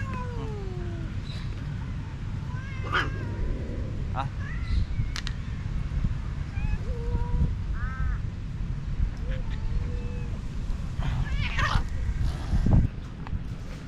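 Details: Hungry stray cats crowd around a man who calls them for food and affection; short mewing cries, some sliding downward, come from several animals between his shouted words, above a constant low rumble.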